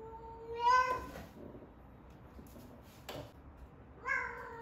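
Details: In a quiet room, an 11-month-old rescued female cat, Ame-chan, calls during the peak of her first heat. A drawn, rising meow comes first, then faint rustles and a click, then another meow starts near the end.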